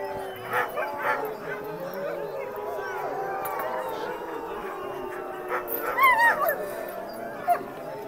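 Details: Sled dogs at Mont Tremblant howling before a sledding run: a chorus of several overlapping, sustained, wavering howls held throughout, with brief higher yelps and whines breaking in near the end.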